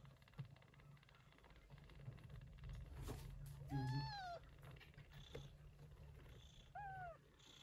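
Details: Persian Chinchilla Shorthair mother cat looking after kittens born in a September typhoon; low steady purring with a couple of short rising-falling kitten mews and faint soft rustles.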